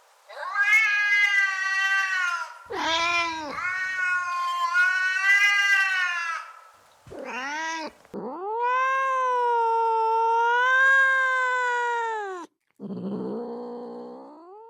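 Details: Realistic domestic cat vocalizations meant to catch another cat's attention: a long wavering meow, a short dipping cry, then a sustained four-second wail, ending in a lower, softer brief call; loud, tonal and strongly harmonic throughout.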